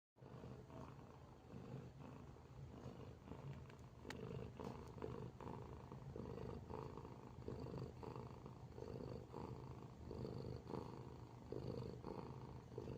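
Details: Sleeping cat snoring softly: low, rough breaths rise and fall in a steady rhythm, roughly one every second or so, each a broad rumbling swell, with no other clear sounds.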